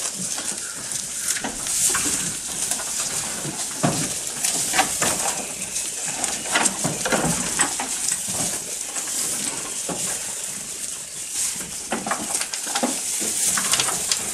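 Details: Goat eating up close, steady irregular crunching and tearing bites, sharp broadband clicks several times per second over a constant high hiss, with brief quieter pauses.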